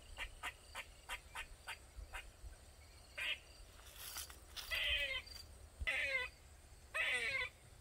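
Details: A squirrel in a Maryland backyard calls: quick dry chucks, then drawn-out, nasal, wheezy moans repeated every second or so, crying loudly for over 20 minutes.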